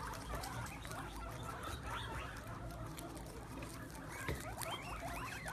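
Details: Guinea pigs crowd around sprouts on the ground, munching eagerly; scattered rising squeaks come through a dense bed of chewing and shuffling, with a quick burst of climbing squeals near the end.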